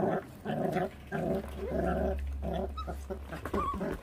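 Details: Feral dog puppy eating and growling, offspring of a stray mother that leaves her pups uncared for; several short, gravelly growl bursts over a steady low hum, ending in a faint whine.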